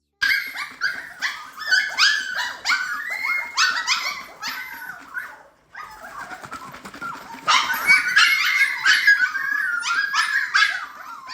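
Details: Siberian Husky puppies at feeding time, first feeding of the day: a chorus of high, overlapping whines and yips, rising and falling, with a short pause midway before the clamour resumes.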